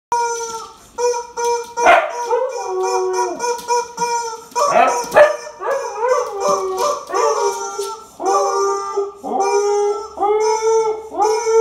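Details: Dogs howling, a Husky and a Corgi together: long wavering tonal howls with rich harmonics, overlapping voices rising and falling, broken into phrases of a few seconds with short yips between.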